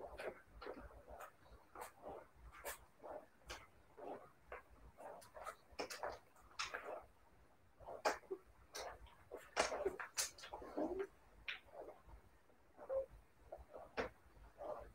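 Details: Siberian Husky puppies indoors, giving soft, short whimpers and yelps in quick irregular bursts, with faint squeaky notes scattered through a quiet room.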